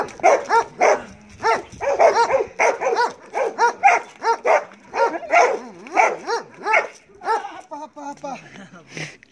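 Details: Belgian Malinois named Marley barking during bite work: a dense run of sharp, strained barks, some clipped and yippy, with a man's voice speaking in Greek and the barking thinning toward the end.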